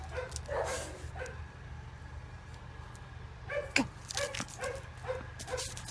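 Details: A playful 18-month-old female German Shorthaired Pointer at an animal shelter gives short, sharp barks in small clusters over a steady low hum.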